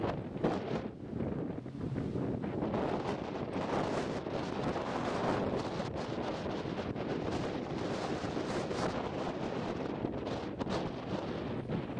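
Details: Strong wind buffets the microphone on a windy day at a bayside dog park in San Francisco Bay, a steady roar with no barking or other animal sound.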